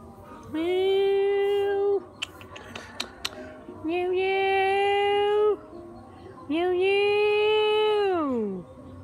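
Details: Sad cat giving three long, drawn-out meows, each about one and a half seconds, held at a steady pitch before sliding down at the end, with a few faint clicks and taps between them.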